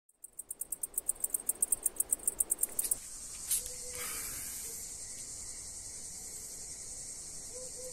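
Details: Cicada in Greece, described as crippled; a fast train of sharp high pulses for about three seconds, roughly seven per second, breaks into a continuous hissing buzz that carries on steadily, with brief low tones in the background.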